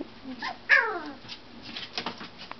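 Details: Brittany puppy, two and a half weeks old, vocalizing indoors: a short, high, falling whine, followed by softer faint squeaks, with quiet room noise in the background.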